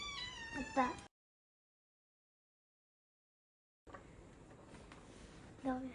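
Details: Domestic cat, one of a household's Norwegian Forest Cat and Ragamuffin cats, giving a short harmonic meow at the start. A long silent gap follows, then low room noise and a second brief meow near the end.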